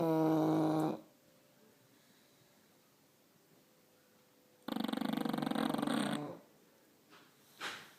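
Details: English Bulldogs (two in the recording) snore, with a droning nasal tone followed by a rattling, fluttering snort.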